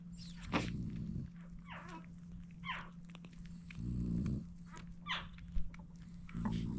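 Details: Seven French Bulldog puppies, the litter of Dooney the Frenchie, being fed: thin high whines sliding downward, several overlapping, mixed with low snuffling grunts and soft chewing clicks.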